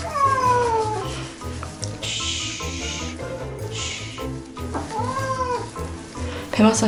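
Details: Housecat complaining through a bath, urgently washed because of dirt on its body: a long descending meow opens, a shorter arched one follows later, with hissing water spray and soft background music in between.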